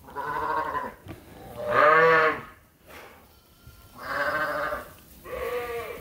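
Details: Sheep on a working farm awaiting their feed during daily chores in lambing season; four strong harmonic bleats, each about half a second to a second long, separated by short pauses, with several animals calling in turn.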